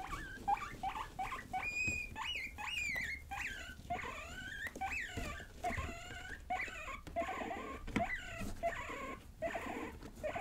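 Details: Young pet guinea pigs Rosie and Buddy at play indoors: a dense stream of high whistled wheeks, some rising and some arching down, overlapping in quick succession, with light rustling.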